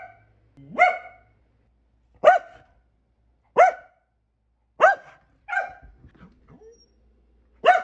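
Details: Single sharp barks from Kumo the Keeshond, six of them spaced more than a second apart, each brief and bright, with quiet gaps and a faint low rustle between.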